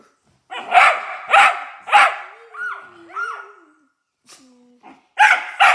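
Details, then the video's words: Dog barking at nothing: three loud, harsh barks about half a second apart, then softer sliding whine-like tones and a brief quiet gap before two more sharp barks. "When your dog barks at nothing"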